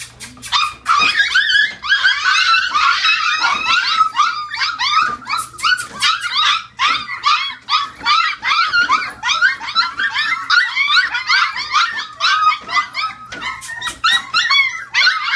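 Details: Chihuahua puppies, a litter growing bigger in 2015, several squealing at once: a dense, continuous chorus of high arched whines and squeaky yelps that overlap and rise and fall rapidly, with brief sharp clicks scattered throughout.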